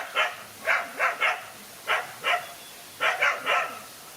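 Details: Dog fighting alone against two male dogs: short, harsh barks in clusters of two or three, with pauses between bursts and a quiet background.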